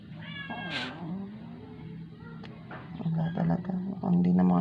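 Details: Rescued stray indoor cat named Moymoy, dying after twelve days without eating and vomiting after a vet injection; a thin, wavering meow rises and falls early on, then soft gentle speech in Filipino follows with low background hum.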